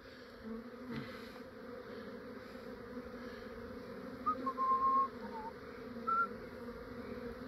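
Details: Swarming honey bees in an Australian yard, foragers returning as the swarm goes into a hive box; an even, layered humming drone holds steady, with a few short bird whistles near the middle and a soft knock early on.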